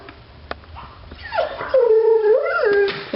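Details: Bailey Blue, a house dog stirred up by another dog outdoors, produces a sustained wavering howl that rises, dips and rises again over about two seconds, indoors and close.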